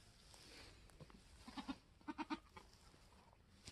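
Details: Newborn F4 Mini Alpine buckling, black with white frosted ears and nose, born on a homestead on March 13, 2021: two quick bursts of short, harmonic, stuttering bleats near the end, with soft background murmur.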